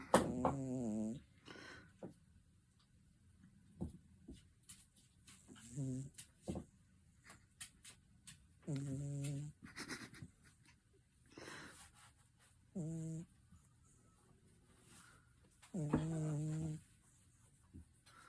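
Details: Sleeping domestic cat snoring indoors in a small room: low, voiced, buzzy breaths about a second long, recurring every three to four seconds with quiet gaps between.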